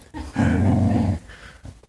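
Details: Possessive dog, newly met, growling as its human shakes hands with other people indoors; a low, rumbling, pulsed growl lasting under a second, between bits of human speech.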